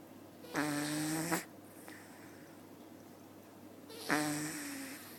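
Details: At the Nyandoberu cat cafe, a sleeping cat called Maple gives two loud, rough, harmonic snores, each under a second and ending abruptly, separated by a few seconds of quiet indoor hum.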